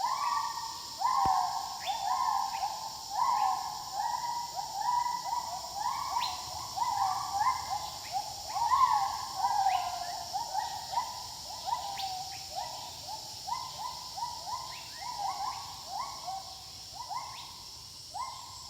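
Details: Wild gibbons give a steady run of clear, hooting notes, several voices overlapping in a rising, echoing chorus.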